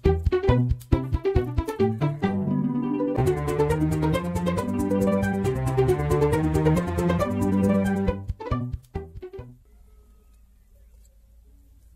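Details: Gentle instrumental music with plucked notes and held, layered tones fills the first eight seconds. It then fades to quiet background hiss, and no animal voices are heard.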